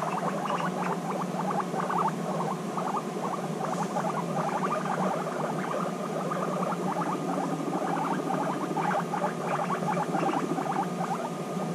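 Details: Guinea pigs reunited after six months apart, bonding intensely: a continuous low rumbling purr studded with rapid stuttering pulses and short chirpy squeaks, steady throughout over a faint background hum.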